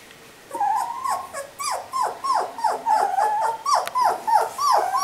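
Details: Three-week-old puppies, recorded on July 13: a rapid series of short, falling squeaks and whimpers, about three per second, high and thin, with a few overlapping voices.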